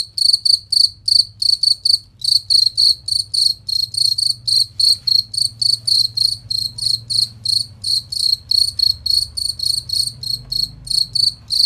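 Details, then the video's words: Cricket song recorded for training songbirds to sing in competitions: sharp, shrill chirps repeated about three times per second, briefly pausing near two seconds, with a soft low rumble throughout. "Masteran Jangkrik Suara Jernih Nyaring dan Kristal"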